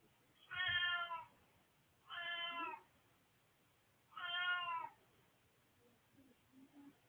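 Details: Domestic cat, an old male, meowing indoors: three clear harmonic meows, each about half a second to a second long, spaced roughly two seconds apart, followed by faint low soft sounds.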